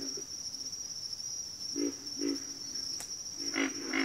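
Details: Frogs calling in a backwater chorus: a few deep, grunting croaks come in short bursts near the end, set against a steady high insect whine that runs throughout.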